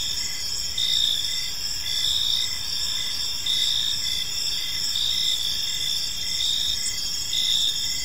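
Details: Evening park ambience of crickets, a bright continuous high-pitched trill layered with short pulsed chirps recurring about twice a second, several insects overlapping, soft rumble of distant background noise beneath.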